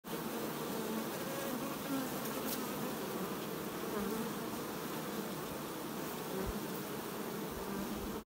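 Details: Many honey bees make a steady, dense, low hum that stays even throughout, while washboarding.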